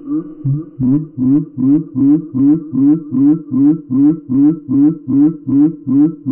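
Gray tree frog calling, played slowed so the usual rapid trill becomes low, buzzy pulses. Each pulse repeats about two and a half times a second, steady and even throughout.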